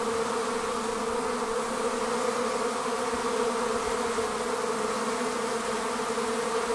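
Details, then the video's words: Honey bees leaving their hive as a swarm, producing a thick, unbroken hum of countless wingbeats that holds even and steady for the whole stretch, with rich overtones above the main drone. "Bee Swarm Leaving the Hive"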